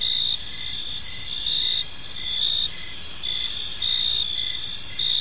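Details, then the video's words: Evening cricket chorus in a quiet park, several high-pitched chirping insects layered in an even shimmering trill, with louder pulses every second or so and soft low noise beneath. "Cricket Sounds in a Peaceful Park"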